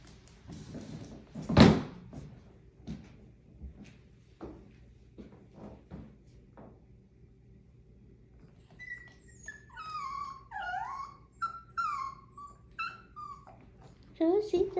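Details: Pet Chihuahua named Rosie gives one sharp loud bark, then after a quiet stretch a run of high, wavering whines that slide downward in pitch, ending in a brief louder yelp, with a low steady hum beneath.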